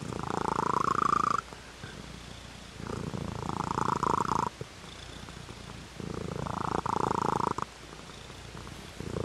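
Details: A domestic cat's purr, perhaps blended with snoring: low, buzzing pulsed rumbles about one and a half seconds long, alternating with softer gaps in a steady breathing rhythm.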